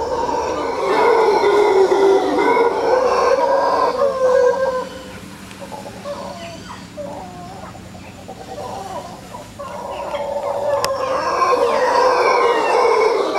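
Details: Howler monkeys in Quepos, Costa Rica, giving eerie howling calls: loud, rough, harmonic roars that swell and fade, dropping to a quieter lull midway before a chorus of howls builds again toward the end.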